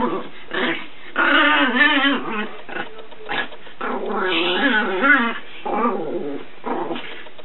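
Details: Paco, a Chihuahua puppy about eight months old, runs wild around the house as a playful goofball. He makes strained, warbling growls mixed with yipping whines in uneven bursts, some long and wavering, others short and clipped.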